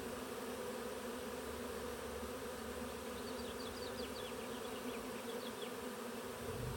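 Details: Honey bee swarm moving into a Warré hive beside a blackberry hedge in a south-facing utility area, Olympic Peninsula, Pacific Northwest, USA, mid-afternoon on 23 June 2025 in mild weather; a dense, steady hum fills the clip, with faint high bird chirps midway.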